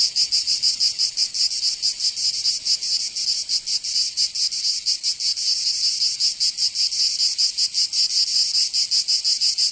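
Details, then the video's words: Provençal cicadas in summer, southern France, droning in a piercing high buzz with rapid, slightly uneven pulsing, around two to three beats per second, unbroken from start to finish. "Canto Cigarra 🦗 [ Escuchar les cigarras en verano 10 H]"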